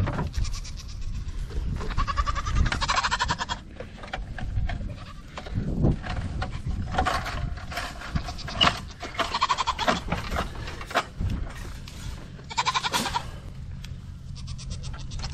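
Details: Nigerian Dwarf show goats at a dairy goat ranch bleating several times, nasal wavering calls spaced a few seconds apart, with some human speech and handling noise in between.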